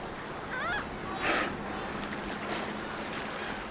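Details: Dolphin lost in a maze of lighthouses, turning in circles: a short wavering whistle with bright harmonics, then a brief broadband burst of clicks, over a steady underwater hiss.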